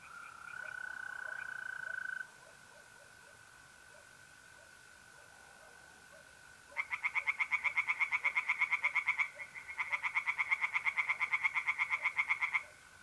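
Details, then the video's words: Tree frogs singing in a pond at night in mid-April, north-east Italy: a steady high trill from mole crickets runs alone at first, then two bursts of fast, rattling pulsed croaks, several per second, break in over it. "relaxing singing tree frogs in pond"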